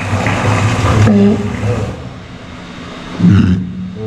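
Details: A walrus at an aquarium, filmed while the walruses were sleeping, hums in a deep, steady drone for about a second, then swells into a short voiced call; a person says a quick "good morning" over the low rumble.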